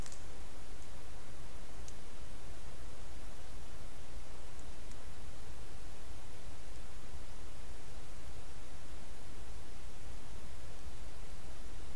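Only a steady hiss of broadband noise with faint rustles and ticks, no animal voice.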